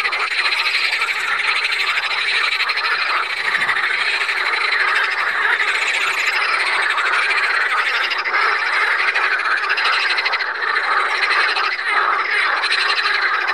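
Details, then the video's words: Pelophylax water frogs at Saint Orens de Gameville give a sustained chorus of rattling, ratchet-like croaks. Numerous callers overlap continuously across the whole stretch, with the level staying constant throughout. "Grenouilles (Pelophylax sp.)"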